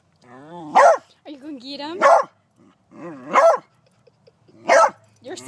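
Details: Beagle confronting a praying mantis, whining and howling between sharp barks roughly every 1.3 seconds, with a person's encouraging voice mixed in.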